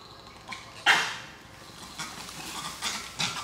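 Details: A langur monkey during a monkey fight gives a sharp, piercing screech, followed by several softer, raspy squeals.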